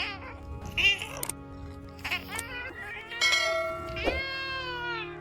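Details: Chonk, a sassy rescue cat who was once a homeless kitten, talks back in a series of about four short meows over five seconds, several rising then falling, with quiet music playing behind.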